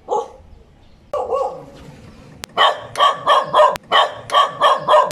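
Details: Dog giving a few scattered barks, then a rapid, evenly spaced series of loud barks roughly three per second.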